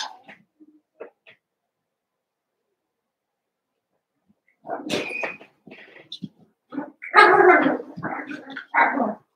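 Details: Eight Cavalier King Charles Spaniel puppies at play after two litters are joined: scattered faint yips, a quiet gap, then rising excited yapping and higher barks building toward the end.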